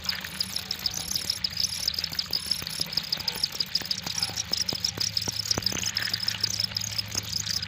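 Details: High, rapidly pulsing cricket chirps form an unbroken chorus, several callers overlapping, with a soft low background hum and occasional clicks.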